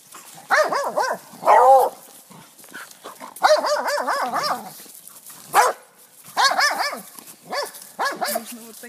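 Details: Appenzeller Sennenhund, one of three females aged 1, 2 and 10, on a friendly walk. It gives loud, harmonic barks and yelps in bursts of several, with short pauses between the bursts.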